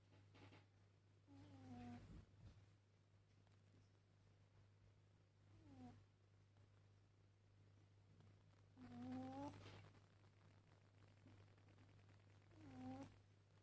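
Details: Domestic cat snoring while asleep: faint, slow breaths roughly every three to four seconds, some with a soft tonal wheeze, over a steady low electrical hum in a quiet room.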